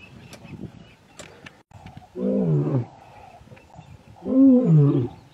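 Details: Young male lions from a coalition returning to take their father's territory, in Masai Mara's Ol Kinyei Conservancy: two deep, harmonic growling roars, each under a second long and a couple of seconds apart, over quiet background.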